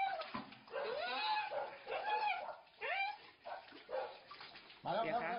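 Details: Dog howling after falling down a well, as rescuers pull it to safety with a rope; repeated arched, wavering whining cries rise and fall, with splashing water and men talking in Thai.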